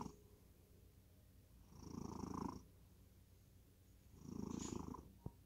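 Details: Sleeping cat in deep slumber, two slow raspy snoring breaths about two and a half seconds apart, low grainy rumble with a thin hiss above, ending with a small click.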